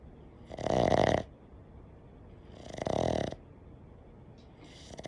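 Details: Boston terrier in its usual snoring: two loud, rasping breaths about two seconds apart, each lasting under a second, broad and noisy with a strong middle band, quiet room between them.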